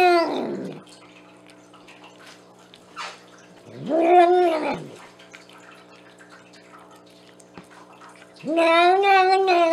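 A Bengal cat gives three drawn-out, wavering meows separated by pauses, over a faint steady hum.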